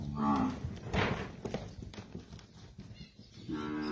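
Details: Young Nelore and Nelore-type calves, seven to eight months old, in the Monte Aprazível region of São Paulo state, Brazil, give a short low moo at the start and another rising bellow at the end, with muffled thumps between.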